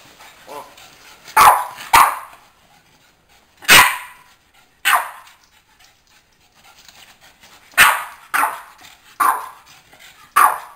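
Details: Boston Terrier named Baybee, called the 'Boston Terror', barking in loud sharp bursts, singly and in quick pairs, about a dozen barks spaced irregularly over ten seconds with quiet gaps between.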